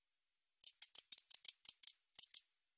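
A katydid makes about ten short, dry, high-pitched rasps in under two seconds, spaced unevenly with a brief pause near the end. The background is otherwise quiet.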